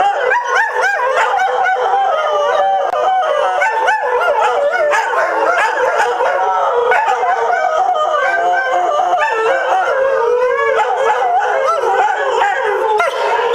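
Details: Greyhounds howling together: dense layered wavering howls overlap continuously, with pitches bending up and down and short yips mixed in throughout.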